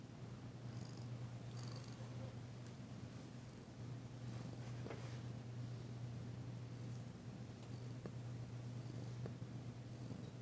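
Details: Purring of Danci, a female domestic cat being massaged on February 9, 2022; an unbroken low vibrating rumble, with a few sharp faint taps and brief rustles.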